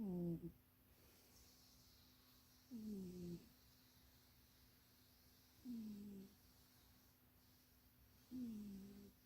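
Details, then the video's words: Napping in a box too small for it, Munchie the cat snores steadily, each low breath a humming, slightly falling tone lasting under a second, repeating about every three seconds against a quiet room. "Munchie kitty snoring and dreaming"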